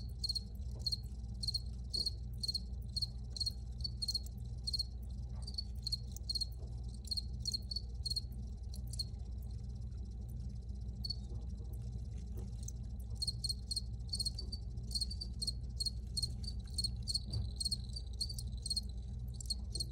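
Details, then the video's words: Crickets chirping in high, rhythmic pulses, a busy run, a sparser middle stretch, then denser overlapping chirps again, all over steady low background rumble. "Free Cricket Sounds for Re-Use or Relaxation"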